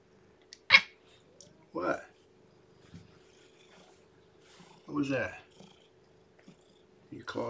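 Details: Newborn kitten indoors, lethargic and less responsive, her weight dropped, about to be fed and warmed; a few short, sharp high cries and brief harmonic mews spaced seconds apart, mixed with a person talking nearby.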